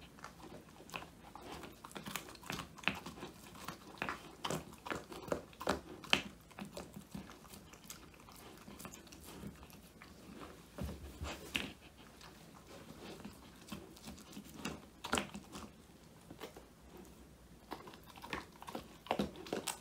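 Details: Woody, a male Old English Sheepdog born January 2019, crunches a whole quail as a handmade treat, his first treat ever, recorded on a phone: dense, irregular crunching and biting clicks, about two per second, with quieter gaps.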